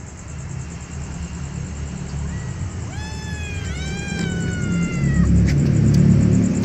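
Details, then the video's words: Hungry kittens mewing: a single drawn-out, slightly falling meow midway through, over low rumbling background noise and a steady thin high-pitched whine. "kittens meow hungry"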